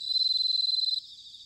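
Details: Autumn bell cricket song from Sanuki in Chiba, Japan: a bright, rapidly pulsed bell-like trill for about a second, then cutting off abruptly, leaving a softer background chorus of crickets.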